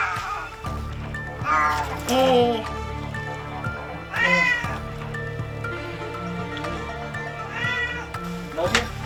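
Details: Domestic cat pulled alive from a large South Korean forest fire, its face burned and one leg melted, so it can hardly see or move. Three plaintive, wavering meows come several seconds apart, with background music and faint speech.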